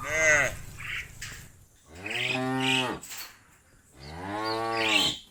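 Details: Cattle in the fields call their friends back to the barn with three loud moos spaced about two seconds apart. Each is rich and nasal, rising then sagging at the end, with quieter pauses between.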